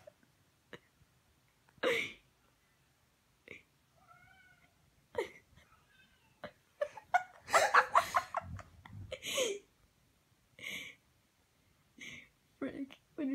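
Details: A male pet cat gives a string of short, uneven meows, as if practising his meowing, with people laughing and talking nearby.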